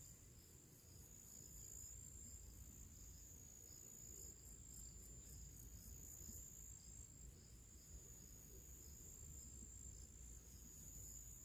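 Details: Pre-evening summer chorus of crickets outdoors: an unbroken, very high trill with regular fast beats, set against a fairly loud low rumble of wind-like noise.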